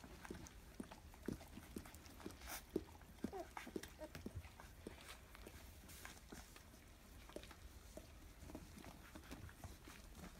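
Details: Labrador Retriever x German Shepherd puppies, 14 days old, from the first litter of dam Bella and sire Roman, 22 November 2015, indoors: short, irregular squeaks and soft grunts come in quick succession, with some human speech and handling noise.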